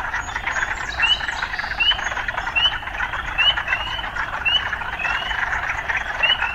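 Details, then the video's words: A frog chorus in an urban setting, led by clear rising whistled notes repeated steadily about every 0.7 seconds over a constant buzzing trill. "Urban Frogs"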